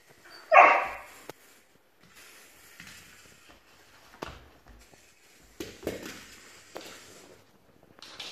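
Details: Puppy confronting a YELLIES toy gives one loud, sharp bark near the start, then stays mostly quiet, with faint rustles, taps and small yips or whimpers afterward.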